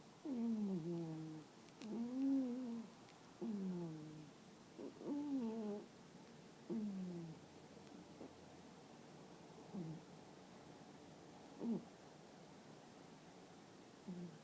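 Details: Sleeping female toy poodle snores loudly, each breath giving a squeaky, whistled, downward-curving tone, about 37 per minute, louder at first and then fading to softer, sparser squeaks.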